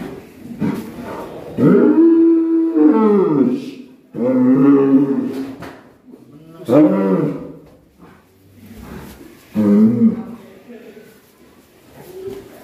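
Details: Raging black bull in Alas Purwo village, Indonesia, gives three drawn-out, deep, arched bellows, each a second or two, with people talking between them.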